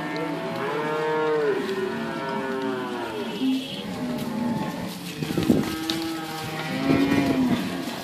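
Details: Cows, some with calves and some pregnant, at Inverland and La Florida, lowing in long, deep, drawn-out moos that overlap one another, with a steady outdoor background hum.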